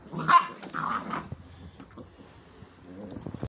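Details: Pit Bull puppies playing tug: one short, harsh bark-like burst with a rough growl in the first second, then mostly quiet with faint scuffling.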